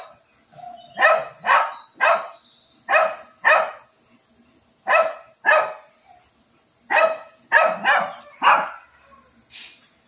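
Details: A Shih Tzu fighting with a cat gives a run of sharp barks, mostly in pairs and triplets, about a dozen in ten seconds, with brief pauses between groups.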